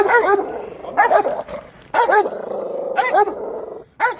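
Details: Dog at an urban dog show barking in short, harmonic bursts about once per second, each bark sharp and rising then falling, with a steady low hum beneath and brief gaps of quiet between barks.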